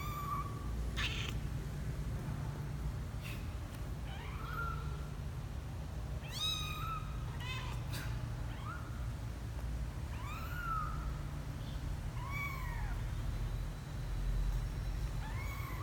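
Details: Misoka, a 12-day-old kitten, on his first adventure out of the box, January 12, 2020: thin high rising-falling mews, about eight scattered over the stretch, over a steady low hum with a few clicks.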